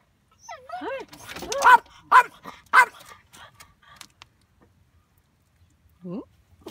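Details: Corgi puppy greeting another dog it often play-fights with; rising whines and yelps open, then several sharp barks about half a second apart, a pause, and a final short whine, with laughter nearby.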